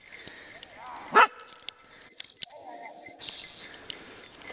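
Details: A two-year-old Kishu Inu gives a single sharp, loud bark against a quiet background while hunting wild boar in the Czech Republic.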